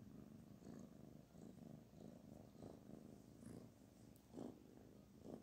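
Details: Petted kitten purring contentedly, a continuous low, throbbing rumble that swells and eases in a rhythmic pulse, with faint handling rustles and no other voices.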